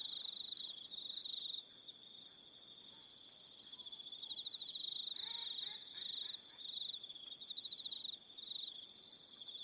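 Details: Crickets on Aroha Island, New Zealand, in the evening: a shrill continuous pulsed trill with overlapping higher trills, and a brief faint lower warbling sound in the middle.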